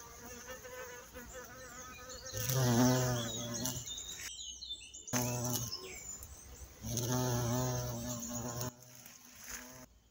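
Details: Violet carpenter bee recorded in Mazovia, Poland, a species once declared extinct there; bursts of loud droning buzz rising and falling as it passes, separated by quieter gaps and brief silences.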